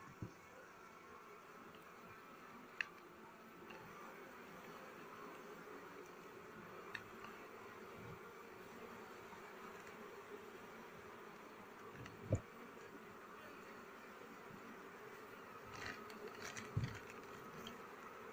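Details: Honey bees at a hive during honey harvest season, when durian trees bloom; a steady low droning hum runs throughout, broken by occasional sharp clicks and rustling from handling.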